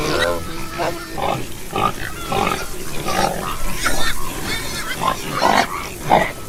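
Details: Domestic pig grunting in a series of short, rough bursts, roughly two per second, with some overlapping noisy chatter in the background.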